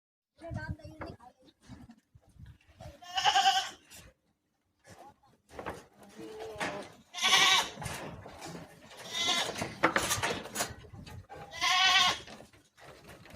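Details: Barbari goats at a farm in Runakta, Agra, giving several loud, wavering, nasal bleats about four seconds apart, with people talking between the calls.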